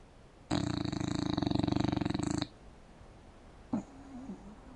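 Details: Indoors on a couch, an English bulldog sleeps with mouth open and lets out a single loud, buzzing, fluttered snore of about two seconds, followed by near silence and a brief soft squeak.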